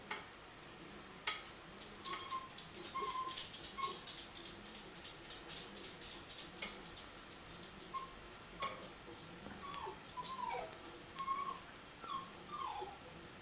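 Several Jack Russell Terrier puppies make brief, high-pitched squeals and whines, some bending upward and others dropping away. Sharp clicks and rustling noises come and go between the cries.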